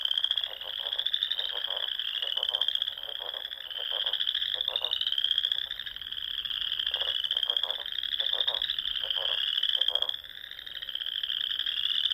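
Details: Many frogs singing at dusk in spring by ponds in the Sandhills of Nebraska, continuous high rising trills overlapping, and short lower rattling bursts repeating roughly every second.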